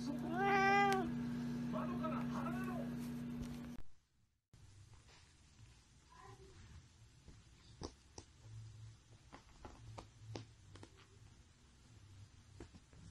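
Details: A cat gives a drawn-out, wavering meow with arching pitch lasting about four seconds, then a short silence followed by quiet room noise with scattered clicks and a faint low hum.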